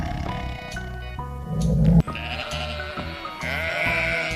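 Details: Sheep bleating in a shaky, quavering voice, a drawn-out bleat in the second half, set against a steady, bouncy children's music backing with a repeating bass line.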